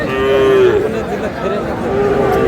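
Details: Sahiwal bull calves at Aftabganj cattle market, Nawabpur upazila, Noakhali, Bangladesh, on 21 April 2026, market day: a steady tonal moo held about half a second, a second moo rising near the end, with market chatter and voices behind.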